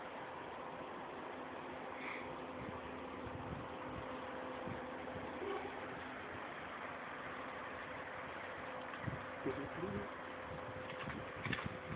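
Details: Steady low hum with faint indoor speech and scattered soft knocks, no animal voice audible.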